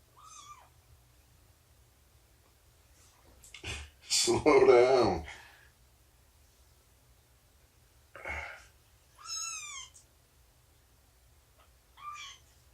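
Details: Domestic cat indoors during morning snuggles, nursing and play time involving Shelby, an abandoned mother cat estimated two years old, and her roughly three-month-old kittens: four short, high, falling meows scattered across the stretch, with a loud burst of human speech between them.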